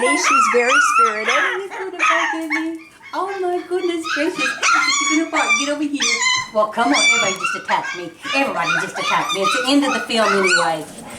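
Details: A litter of F1b Cavapoo puppies, five weeks old, from Honey's kennel litter in Carthage, Missouri. Rapid, crowded yips and thin wavering whines tumble over one another, while human voices mix in.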